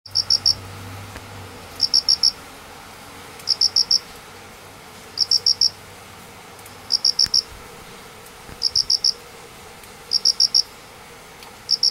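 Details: Two unseen crickets calling under a painted spurge plant after heavy rain in Minamioguni, Manganji, Japan, 29 September 2016, also heard calling in the morning; high, bright chirps of about four quick pulses, repeated roughly every one and a half seconds over a quiet background.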